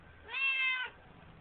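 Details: A chatty pet Siamese cat relaxing in a bathroom sink, captured with a flip phone, gives a single long, even meow of about half a second, bright and tonal, with quiet room noise around it.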